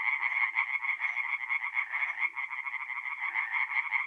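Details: Night chorus of tree frogs at a forest pond, north-eastern Italy, mid-April; rapid pulsed croaks blend into a continuous bright rattle, with faint low murmurs underneath.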